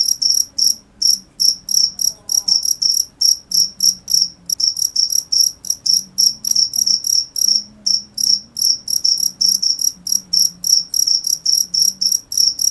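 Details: High, piercing cricket chirps in a fast regular series, about three each second, with a couple of brief breaks and a soft low background drone.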